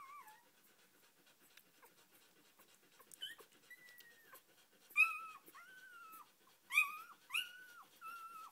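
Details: Australian Shepherd puppy at four days old, petted and whimpering: a short squeak at the start, then from about 5 seconds a run of high, thin, slightly wavering cries roughly every half second to second.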